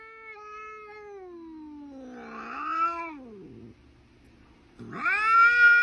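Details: Domestic cat wailing: a long, steady, slowly falling moan that wavers and dips, a pause, then a sharp upward-swooping, louder yowl at the end.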